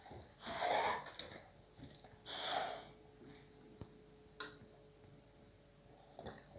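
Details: Boxer dog named Dilon, indoors, excited while playing with his chew bone that slid under furniture; two breathy snorts near the start, then faint scuffling and clicks in a small room, a few words spoken.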